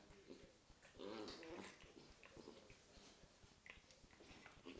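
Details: Playful growling from a Corgi and a Scottish Terrier roughhousing: one strong, gritty growl early, then softer scuffling, huffs and noisy movement.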